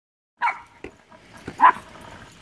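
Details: Two pet dogs, a Westie and a Havanese, playing with a big blue ball: two short, sharp barks about a second apart, the second one louder, with light rustling and a soft thump in between.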